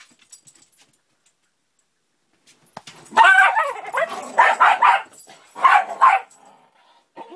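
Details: Two Irish Terriers getting cranky inside a camping trailer on a summer day on Cape Cod; after a quiet start, several harsh, gruff barking bursts come in two clusters around the middle of the clip, then fade.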